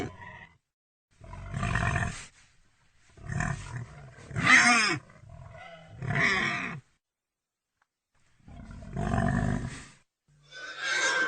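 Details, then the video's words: Pig grunting in rough, gravelly bursts, some stretched into short groaning squeals, spaced a second or two apart with brief silences between. "real pigy sound effect"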